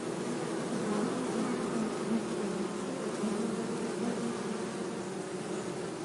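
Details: Bee buzzing in a steady, low droning hum with a wavering pitch that rises and falls slightly throughout, dense and continuous with no pauses.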